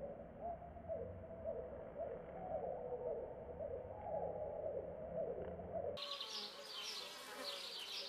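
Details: Bees captured with a Canon 4000D: a continuous mid-pitched wing hum with faint pulsing ripples for about six seconds, then a sudden switch to higher, scratchy buzzing.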